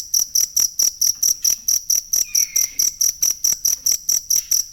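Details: Cricket sound used for songbird training: crisp, high chirps repeat in a regular rhythm about three to four per second, and a faint falling whistle crosses the middle.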